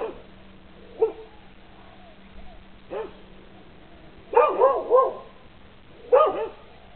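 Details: Dogs barking on a lanai, in short, sharp bursts, some single and some in quick clusters of three.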